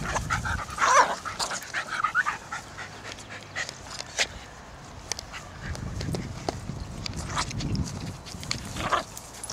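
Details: Jack Russell Terrier cross dribbling a football around a park, letting out a few short, high whining whimpers early on, with steady outdoor background noise and soft scuffing sounds.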